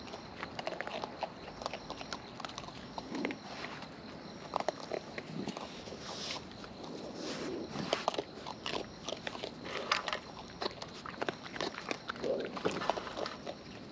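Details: Wild raccoons feeding close up produce natural chewing sounds: dense, irregular crunchy clicks and wet smacks scattered across the whole fourteen seconds, with a faint steady hiss underneath.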